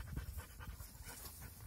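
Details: Panting from a dog during play between young dogs: rapid, hushed breaths repeated several times a second over low rumbling knocks, with faint background noise.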